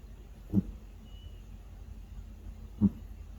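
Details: A cat snores in its sleep: two short, low, grunting breaths about two seconds apart rise above a faint, constant background hum.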